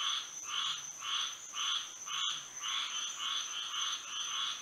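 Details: Night chorus of frogs in Florida by moonlight, rhythmic croaking bursts about twice per second with a steady cadence, a brief gap near the middle, and a constant thin high tone running underneath.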